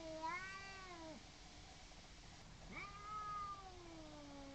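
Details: Garden standoff between two neighbours' cats before a fight: two drawn-out, nasal caterwauls, each swelling in pitch then sagging lower, separated by a brief pause, over faint outdoor hiss.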